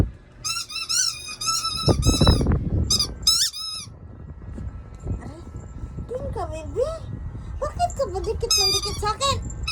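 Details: Pet dog, called baby, clinging to its owner and making noise: several bursts of high, squeaky whines, each note wobbling up and down, interrupted by talking and handling sounds, with more squeaks near the end.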